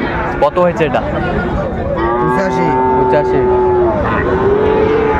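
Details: Sahiwal cattle at a livestock market in Chattogram, Bangladesh, on 19 December 2024: a long, steady, tonal moo held for about two seconds, then a shorter second low, over human chatter and general market bustle.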